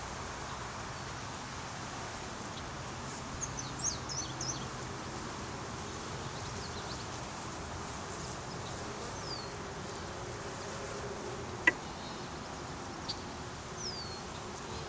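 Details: Massed honey bees in a swarm on a small tree branch hum softly and steadily throughout, while scattered thin bird chirps and one sharp click break through the drone.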